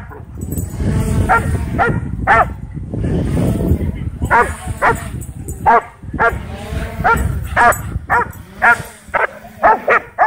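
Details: Excited dogs chasing a DJI Mavic 2 drone at a dog park, voices and rustling noise first, then a run of short, punchy barks coming faster and faster through the second half.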